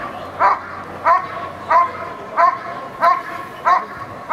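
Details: Eran von Houthrack barks steadily during protection work at NIAK 2014: seven sharp, ringing barks spaced roughly 0.65 seconds apart, strong and regular, with a faint low hum beneath.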